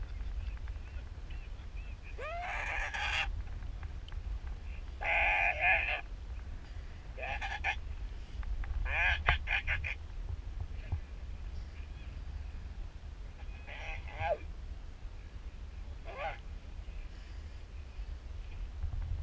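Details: Elephant seal pup on the island of South Georgia near Antarctica, one of two pups that approached and cuddled a person; several drawn-out, hoarse, nasal bawling calls with rising onsets at irregular intervals over a low rumble of wind.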